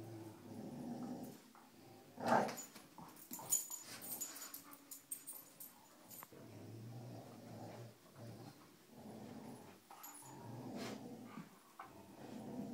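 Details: During a rope tug game among the dogs Cujo, Kali and Lilly, low throaty growls come in uneven bursts, broken by sharp knocks and clatter from the struggle.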